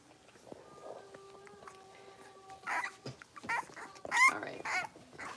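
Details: Indoor pen of five six-week-old blenheim Cavalier King Charles Spaniel puppies: a steady, thin whining tone is held at first, then sharp high yelps and squeals break out in a rapid series.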